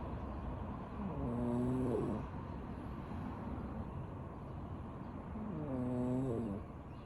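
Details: Sleeping domestic cat snoring: two drawn-out, tonal, slightly wheezy snores, each lasting about a second and spaced roughly four and a half seconds apart, over a steady low background hiss.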